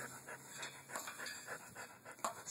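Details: A pit bull named Luthor pants steadily, short breathy puffs repeating about three times a second over faint background hiss.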